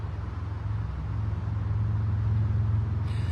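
A low, steady engine rumble like an idling vehicle, with no animal sounds.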